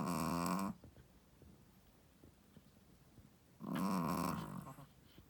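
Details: A sleeping Shih Tzu, a first-time mother, snoring: a loud harsh snore at the start and another about three seconds later, with quiet breathing and faint clicks between them.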